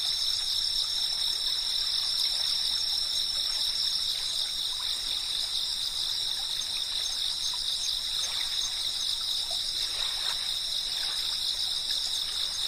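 A dense cicada chorus fills the air with continuous high-pitched buzzing, several bright tones ringing together without a break. Soft water-like hiss and faint scattered clicks sit underneath the drone.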